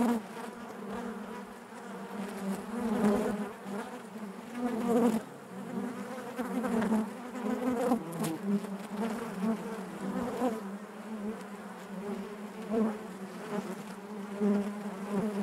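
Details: Colony of honey bees droning inside the hive, a thick layered hum that rises and falls in irregular swells every few seconds, with occasional sharper bursts of nearby wingbeats over the steady background buzz.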